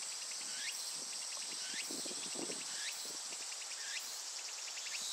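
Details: Unbroken high, sizzling buzz from Japanese cicadas, overlaid by rising hooked notes about once per second and quick ticking pulses. Faint low rustling sounds sit underneath.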